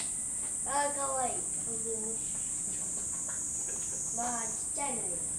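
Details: Gorilla fight at the Momotaro family enclosure on 7 July 2023, mother Genki against her son Gentaro: two bursts of harsh, arching harmonic screams, rising then falling, about three seconds apart, over a constant high-pitched insect drone.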